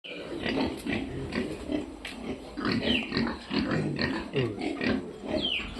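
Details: Piglets on a farm giving dense, overlapping grunts and short squeals, several animals calling at once in a steady chorus of rough pulses, with occasional higher squeaks rising above the grunting.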